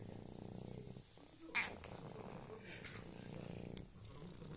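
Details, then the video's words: Female cat Rosetta from a cat colony meowing in a drawled, talk-like 'corsivo' style: long, low, harmonic tones that waver and stretch, with a soft purring rumble beneath, a short break, then another sustained moan; brief clicks in a small room. "Gatta miagola in corsivo"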